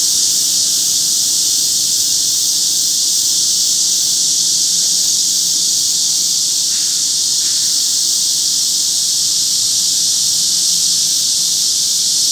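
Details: Cicadas competing with wart-biters in a loud morning chorus at a Seoul park, 26 July 2025, after years underground. A steady, intense, high-pitched shimmering drone continues throughout, with two faint short lower sounds near the middle.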